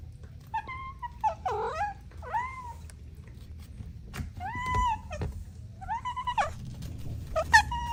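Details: Playful kittens with their mother mew repeatedly: arched, slightly falling cries, some thin and faint, others fuller, roughly six in eight seconds, with soft knocks and a low background hum.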